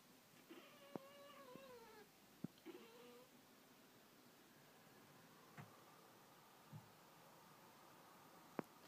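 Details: Domestic cat Pringles watching birds through a window and chattering: a wavering, trilled vocalization for about three seconds, followed by quiet room tone broken by a few sharp clicks.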